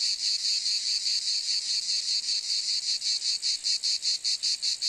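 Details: Cicada sound: a piercing, sizzling buzz that throbs in quick regular beats, the pulses becoming more distinct in the last second or two.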